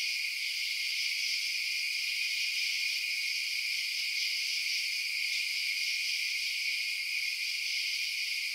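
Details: Crickets chirping after dark form a constant, high, hissing trill, unchanging in loudness from start to finish, with no other creatures or human sounds.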